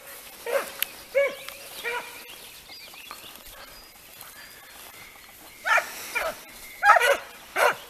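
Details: Italian scent hounds (Segugi italiani) worked on hare open with three bays, fall silent for several seconds, then burst into a harsher cluster of overlapping cries.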